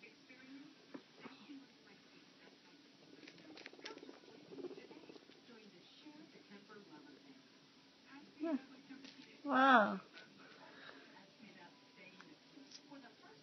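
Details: Abby, a baby guinea pig, gives one loud, short squeal with stacked, wavering tones partway through, amid soft patter and scattered quiet squeaks, while a person talks to her indoors.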